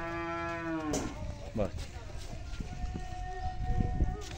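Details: Australian Friesian cow on a modern dairy farm in Sargodha, Pakistan: one drawn-out, low moo lasting about a second, followed by people talking and general farm noise.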